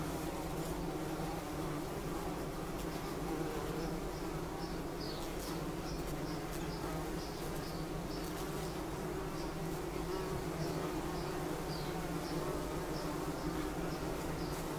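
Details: Bumblebee buzzing, a continuous low droning hum with steady tone throughout, faint high chirps of birds in the background.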